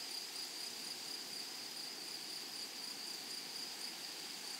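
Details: Flowery meadow grasshoppers give a constant high-pitched ringing drone, an even insect chorus with a faint, faster flutter inside it and a thin higher overtone, no other clear sounds.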